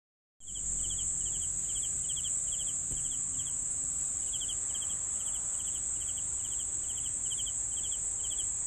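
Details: Crickets: a steady, piercing high-pitched trill runs throughout, overlaid with lower, pulsed chirps about four times per second; no other sounds stand out.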